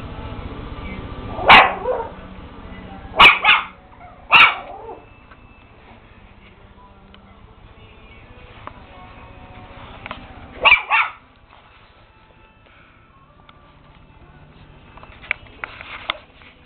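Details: Maltese puppies yapping: sharp, high yips in quick clusters, three early barks about a second apart, a double yip near the eleventh second, then softer yips at the end, with quiet gaps between.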